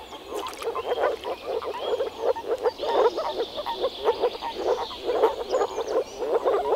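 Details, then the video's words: Spring frogs at a pond in the Czech Republic give short rough croaks in rapid bursts, rising and falling in clusters, with faint bird calls behind. "European frog calls"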